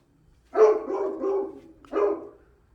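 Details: A domestic dog left out on a balcony, barking for hours on end: one drawn-out, harmonic bark lasting about a second, then a second shorter bark after a brief gap, with a quiet background.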